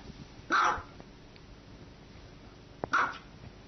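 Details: Dog in a funny compilation giving two short, sharp barks about two and a half seconds apart, each a brief mid-pitched burst, over a quiet background hum.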